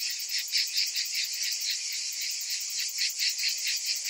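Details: A chorus of cicadas in summer: shrill, continuous buzzing with loose, irregular surges of loudness, no other sounds standing out.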